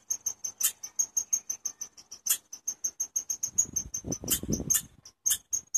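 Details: Insistent high chirping from a chipmunk, sharp notes repeated quickly and evenly, with a burst of low rustling noise partway through.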